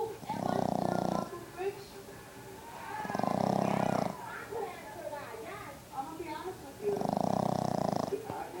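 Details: A 5-month-old Boston Terrier puppy snores in long, rough, rumbling breaths roughly every three seconds, with people talking between.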